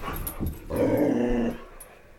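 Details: Boxer dog growling indoors during flashlight play, where Jackson dislikes Roxy playing; a sustained rumbling growl of under a second, rising then fading, in a small room.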